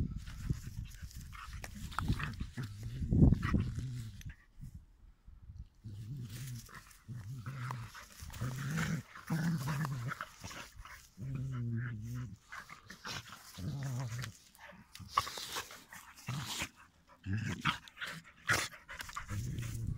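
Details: Dogs play fighting outdoors; short low growls in repeated bursts separated by pauses, with panting, scuffling and occasional sharper snarls.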